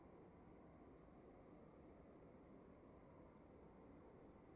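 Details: Crickets in a darkened room at night chirp in a steady, high, pulsing rhythm, two interleaved callers at close pitches, with continuous low noise underneath.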